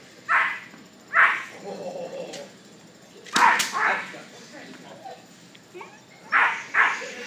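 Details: Machiavelli Von Prufen, a solid black German Shepherd puppy of Prufenpuden lines, home raised and in early protection training, gives short sharp barks, five bursts spread over seven seconds, with a human voice between them.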